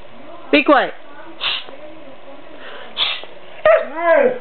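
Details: An 11-month-old white male Siberian Husky, kept as a pet, argues with its owner. Short rising-falling harmonic woo-like yowls come in a few bursts between pauses, with a person's soft shushing and speech.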